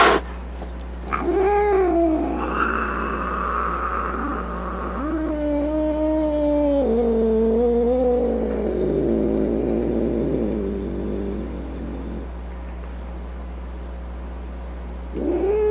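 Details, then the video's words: Grumpy domestic cat giving a series of drawn-out, wavering meows and yowls, rising and falling in pitch, ending in a lower rough growl before falling quiet, with a brief new call starting at the end. "Cat Sounds | Cat Meow Sounds, Snarling Sounds, Hissing Sounds | The Sounds a Cat Makes"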